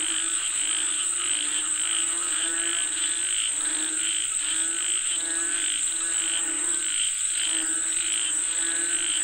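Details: Rain-calling frogs in full chorus: rapid, stuttering croaks pile up in quick pulses, one brief lull near the end, all against a steady, thin high drone.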